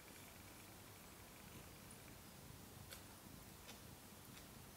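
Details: Amirah, a mother cat, feeding her five two-day-old kittens indoors; a soft, low, steady purring rumble runs throughout, with a few faint high clicks over quiet room hiss.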